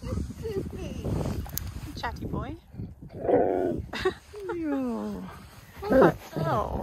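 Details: Husky named Key talking insistently until he gets what he wants; gliding whiny yowls rise and fall in pitch, mixed with a person's cooing speech asking what he wants.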